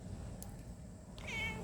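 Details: Pet cat being coaxed indoors in the evening while food is prepared; one short rising-falling meow with bright harmonics near the end, after quiet room noise.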